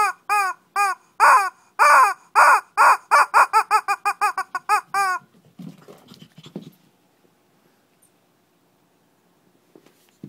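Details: Small-scale Shih Tzu fight in Kochi, Japan: fast run of shrill, evenly spaced barks and yips about two per second for five seconds, trailing into quiet scuffling and near silence indoors.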